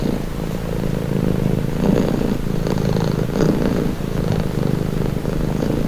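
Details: Pet cat giving a steady, deep purr, a low vibrating rumble rising and falling gently with each breath, close and even throughout.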